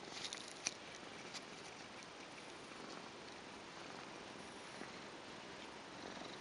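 A Tonkinese cat purrs softly, a steady low rumble under a hissy background.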